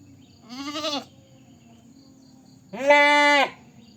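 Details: Two goat bleats separated by silence: a short, trembling first cry, then a louder, steadier, drawn-out nasal bleat lasting nearly a second.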